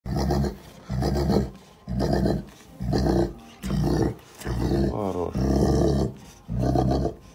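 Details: Dog in Russia making a deep bass sound with its mouth while being petted in the right spot; low, rumbling pulses repeated about once a second, roughly eight bursts in a row.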